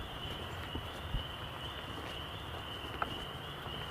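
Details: On a trail walk on 27 March 2021, a distant chorus of quite a few frogs, not yet in full voice, makes a steady, high, unbroken trilling hum, with low rumbling background noise and a brief knock.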